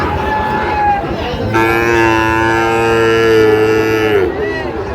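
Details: At a Faridpur, Bangladesh cattle market on 23 June 2025, a Sahiwal bull calf gives one long, steady, low moo of nearly three seconds that ends in a slight downward slide, with market chatter before and after.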